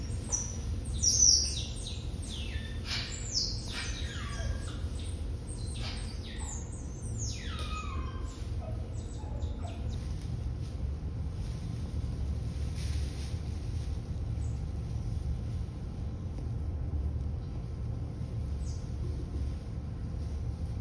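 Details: Six Asian small-clawed otter pups, two male and four female, born November 18, 2021 at Brookfield Zoo, Chicago, kept behind the scenes with parents Pearl and Adhi. High, sharply falling squeaky chirps cluster in the first half, then fade over a steady low hum.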